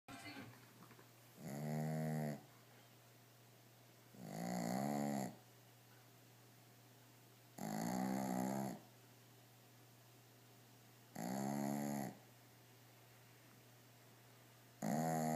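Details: Male Shih Tzu dog asleep on his toys indoors, snoring very loudly: harsh, rasping, buzzy snores about a second long, repeating roughly every three and a half seconds in a steady breathing rhythm, with quiet pauses between.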